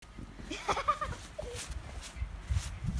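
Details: A Shiba Inu enjoying snow gives a brief, wavering, high whine, followed by a shorter yelp-like note.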